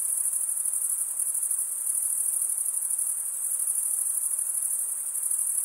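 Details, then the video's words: Cricket chirping, the wing-rubbing stridulation of males, heard as an even, piercing high trill that runs unbroken from start to finish, rapid and buzzy in texture, with nothing else audible. "Most relaxing cricket sound"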